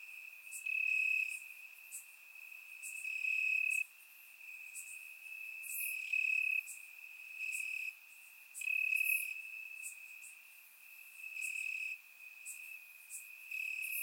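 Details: On a warm summer night in Bulgaria, crickets chirp in the grass; a constant high drone is broken by louder bursts roughly every two to three seconds, captured with surround microphones.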